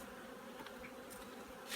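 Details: Honeybee colony being prepared for overwintering, heard as an even, continuous buzzing drone without pauses, a light hiss above it and a brief louder rustle at the very end.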